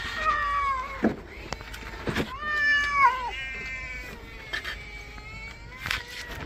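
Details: A cat that dislikes being bathed meows repeatedly: two loud, wavering, downward-sliding cries about two seconds apart, then weaker ones, over sloshing water and knocks from the tub.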